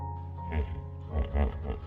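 A hippopotamus gives a few deep, throaty grunts over a steady musical backing.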